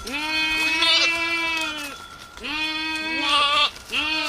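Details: Goats in a rural village calling loudly: long, strongly quavering bleats of about one and a half seconds each, two voices overlapping at different pitches, then a short final bleat.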